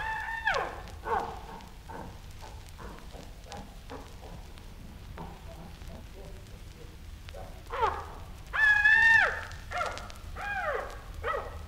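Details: Chimpanzee grunts and scream: a quick train of soft, rough grunts builds for several seconds, then breaks into loud, shrill arching screams with one sustained high wail.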